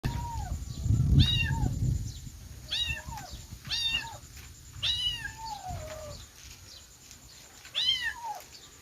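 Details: Kittens meowing, high thin mews with falling tails repeated roughly every second or so, some overlapping, over a low rumbling background.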